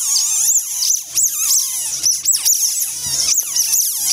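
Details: Asian small-clawed otter pups, eight days old (born 12 October 2014), in a zoo's off-exhibit backyard in Fukuoka, Japan, 20 October 2014, carried about by older siblings, give shrill, rapid, overlapping chirping squeals over a faint low hum.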